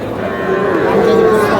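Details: Sahiwal cattle calf, bought by a Shariatpur farmer on 26 August, gives a short, level, tonal moo that swells slightly in loudness, set against a busy background of human voices.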